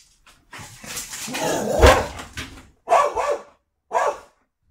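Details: A Border Collie goes into watchdog mode after dinner when a home delivery arrives, barking to guard the home: a rough drawn-out burst followed by two sharp barks.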